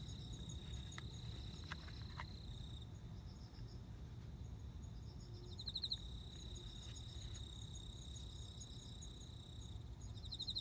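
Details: Male cricket serenading a female ahead of mating, September 29: long unbroken high metallic trill, a few soft clicks early on, then short bursts of fast pulsed chirps around the sixth second and near the end, over a steady low hum.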